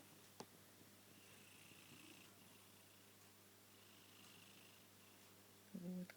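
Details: Sleeping British Blue cat snoring softly indoors, faint hissing breaths roughly every two to three seconds over a steady low hum, with a human voice breaking in at the very end.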